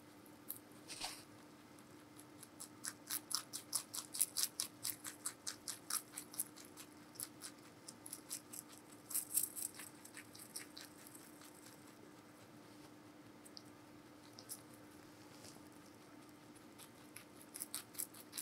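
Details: Giant rabbit Meonji feeding on vegetables indoors: a dense flurry of crackling, crunchy bites in the first half, easing into sparser scattered chews later, with a faint steady hum throughout.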